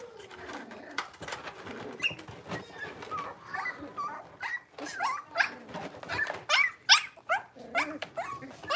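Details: Five blenheim Cavalier King Charles Spaniel puppies, six weeks old, in an indoor home puppy pen, let out a busy run of high, short whines and yelps, many sliding up or down, overlapping and growing louder toward the end.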